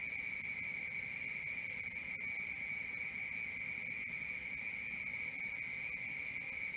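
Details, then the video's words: A constant cricket chorus at night, one high continuous trill and a faster, regular train of higher pulses over it, with scattered faint chirps above. "Cricket 1 hour for Sleeping & Relaxation, Black Screen, ASMR, Dark Screen Nature Sounds"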